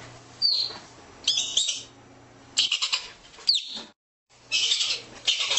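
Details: High, piercing chirps from an Arctic ground squirrel, each sweeping down in pitch, interspersed with clusters of rough, noisy chatter; steady low hum in the background.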